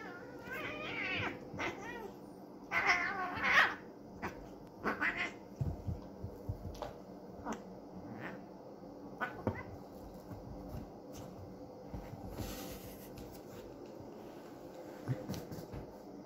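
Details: Cat; fighting yowls; aggression during a fight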